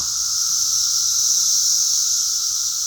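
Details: Many cicadas in a tree give a dense, very loud chorus, a steady, high-pitched shrill hiss without any break.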